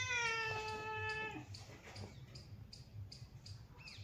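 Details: Relaxed domestic cat sunbathing; one long, clear, steady meow with rich harmonics lasting over a second, then quiet background with faint ticking sounds.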